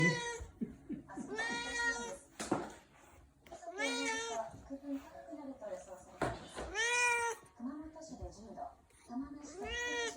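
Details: Orange tabby rescue cat indoors insistently begging for food: loud, drawn-out meows with rich harmonics, about five across the stretch, each rising then falling, with a person talking softly between them.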